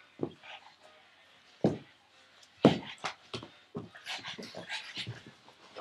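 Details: Frankie the pug playing, chasing a tug toy indoors; breathy huffs and low voiced grunts about once a second, then a quicker flurry of airy snorting puffs toward the end.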